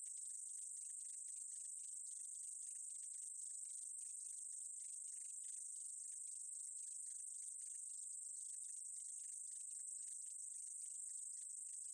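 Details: Meadow katydid, 2020 recording: a thin, continuous sizzling buzz held at one high pitch, laced with rapid irregular ticking pulses, steady in volume throughout; nothing else heard.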